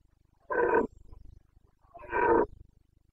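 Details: Carpathian red deer stag roaring in the breeding season rut, Bucovina mountains, Romania, 29 September 2022: two loud, harsh, coarse roars, each under half a second, about one and a half seconds apart, over a low steady hum.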